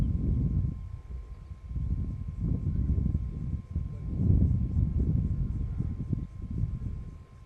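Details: Roaring from the Shish Brothers, Casper the white lion with Mfowethu, Casanova and Footloose, west of Nsemani Dam, Kruger National Park, South Africa; heavy low grunting bursts roughly every second, separated by short quieter gaps.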